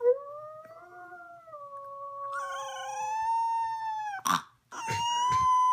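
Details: A Boxer puppy howls along with his human in long, drawn-out howls that slide up and down in pitch.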